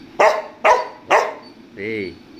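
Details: Domestic dog pushing to get into the air-conditioned room, giving three quick loud barks about half a second apart, followed by a man's questioning voice.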